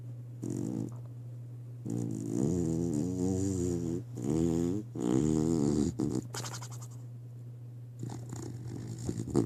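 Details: Beagle named Dakota asleep, snoring in long, raspy, buzzing breaths that swell and fade, two drawn-out snores of about two seconds each, then quieter snuffling, over a steady low electrical hum indoors.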